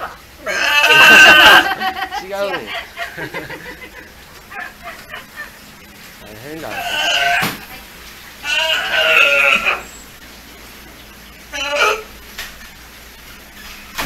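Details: A captive California sea lion pup named Hinata, almost a year old, at Ise Sea Paradise, clearly voicing what he wants. A loud rasping bleat opens, followed by three shorter hoarse calls, with human chatter underneath.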